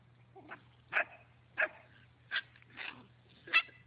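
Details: Dog swimming and playing in water gives six short, sharp barks, about one every half second, each a brief bright burst, with faint background hum.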